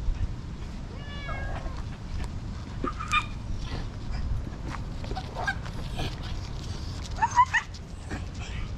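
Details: Tortoiseshell cat that had been napping up a tree, now rubbing hard against someone and seeking affection; a drawn-out harmonic meow early on, then shorter rising meows later, over low rustling and outdoor background noise.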